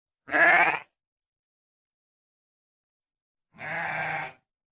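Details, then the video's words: Sheep bleating twice, a short loud wavering bleat followed after about three seconds by a quieter, slightly longer one; nothing else audible. "koyun sesi"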